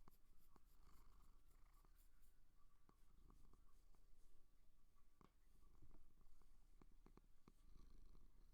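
A seal gives a low, steady rumbling purr, broken now and then by soft clicks.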